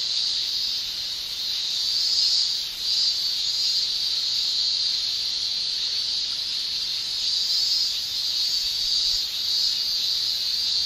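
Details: Shrill chorus of summer cicadas in Japan, a constant piercing high-pitched whine with gentle slow surges in intensity and a brief dip partway through, nothing else audible.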